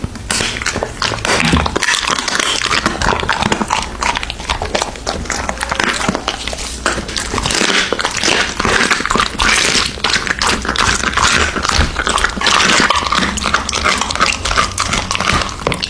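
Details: An American Bully dog feeding on raw meat in a small room, steady moist chewing with sharp crunching bites packed closely together, loud and continuous.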